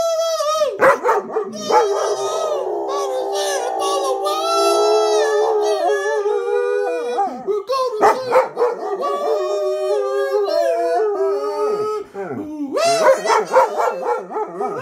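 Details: German Shepherd howling along to the song YMCA: long wavering howls with rich harmonics, sliding up and down in pitch, broken by short yips and pauses, loud and close throughout.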